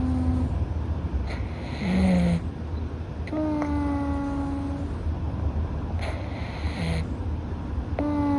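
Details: Nasal sleep-breathing from Louis, a rescued Russian Blue cat with a slightly stuffy nose: short low hums alternate with longer clear whistled tones, soft hissing puffs of air between them, in a quiet room.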